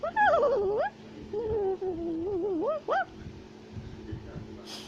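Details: Climbing a tree in South America, a tufted capuchin gives wavering, sliding squeals, first falling, then a long low warble and a quick rising cry, ending in quiet hiss.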